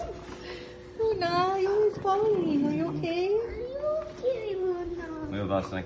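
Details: Puppy making Chewbacca-like noises during play, a run of wavering, whining moans that rise and fall in pitch, nearly continuous for about five seconds, ending in a rougher, breathy grumble.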